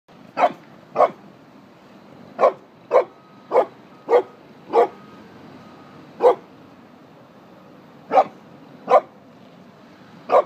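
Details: A Pekingese playing with another dog gives sharp, short barks at irregular intervals, one or two seconds apart.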